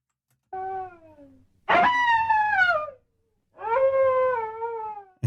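Three drawn-out, wavering howls from a coyote, each falling slightly in pitch, with a harsh noisy onset on the second.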